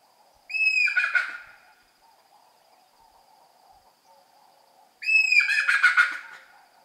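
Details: A rock hyrax gives two harsh, shrill screams a few seconds apart over a steady night hum, recorded at night at rocky outcrops in the African savanna.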